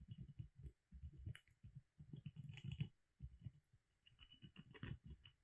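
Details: Pet squirrel Molly chewing on a hazel branch at home, a nearly continuous run of soft, low crunching and scraping bites in uneven clusters, with occasional sharper clicks as her teeth work the wood in a quiet room.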